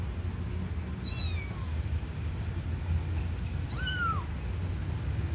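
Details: Kitten near a sleeping puppy lets out two separate meows, a short faint falling one and then a louder arched cry a few seconds later, against a low hum.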